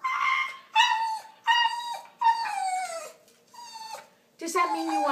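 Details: Pet dog making talking-like vocal sounds: a run of drawn-out, tonal whine-howls, each sliding downward in pitch with short pauses between, the last one rougher and lower; a person chats about chicken and hamburger around it.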